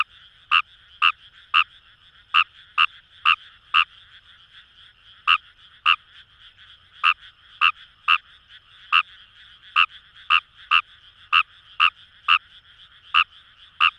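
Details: Rice paddy recording from the Kamo River area, Itoshima, Fukuoka, Japan: a Kawamura's rice frog repeats brief rasping croaks in quick runs, pausing for about a second midway before resuming, over a faint distant chorus.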